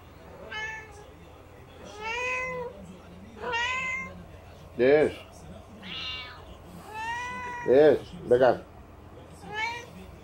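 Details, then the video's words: Four domestic cats meowing for food indoors on 20 March 2019: a run of about nine drawn-out, harmonic meows, some rising then falling, with several short loud squalls near the middle and end, and a person talking softly. "My 4 cats meowing for food"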